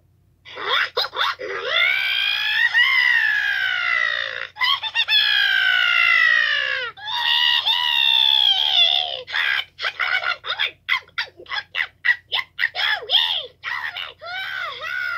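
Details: Toad screaming, recorded 2/10/2022: long, strained, harmonic wails sliding slowly downward, each held several seconds, then a run of short rapid yelps and rising-falling cries toward the end. No other sounds stand out.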